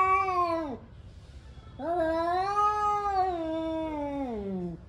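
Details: Male cats yowling angrily before a fight, one brief falling wail followed by a sustained, slightly wavering moan of nearly three seconds that sags downward at its end; rich harmonic tone, faint room hum underneath.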